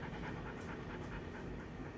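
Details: Belgian Malinois out on rounds, pestering because it is hungry: quick, breathy panting puffs in a steady run, faint under a low rumbling background hum.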